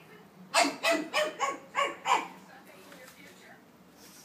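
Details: Pug puppy, five months old, named Anastácia, mad at stuffed toys that make noise at home; a quick run of about six high barks in under two seconds, then quiet room.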